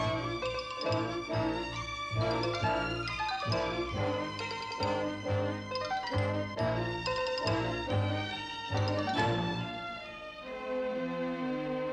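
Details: Orchestral film music with violins and a steady rhythmic pulse; no animal sound is heard.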